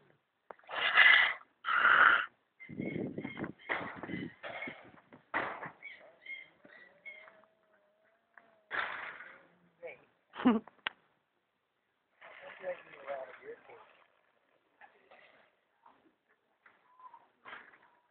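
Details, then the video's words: Small cat described as vicious, snarling: harsh hissing bursts and rough growls in irregular spurts, with a thin drawn-out whine between, over quiet background. "Snarly little cat"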